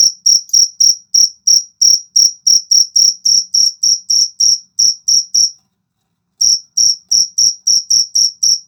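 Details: High, ringing cricket chirps from a jangkrik jago pulse about three times a second and soften slightly. They stop for under a second of silence, then resume at the same rate.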